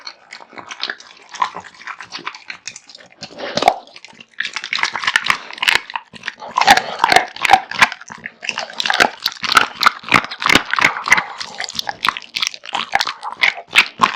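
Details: Pet American Bully dog named Kotetsu, male, born 2016, eating raw meat and bones heartily; dense, continuous crunching and chewing with sharp cracking snaps, a quieter stretch early then steady rapid bites.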